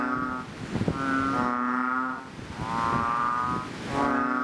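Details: Several chubby frogs in a fishpond just after rain give deep, nasal, lowing calls. Three long drawn moans rise and fade in turn, overlapping slightly, with faint knocks between them.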